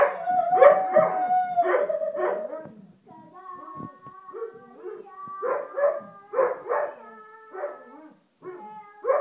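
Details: Weimaraner dog singing along to a song, drawn-out tonal howls with rich harmonics, breaking into wavering yelping bursts and short gaps, pitch sliding up and down through the phrase.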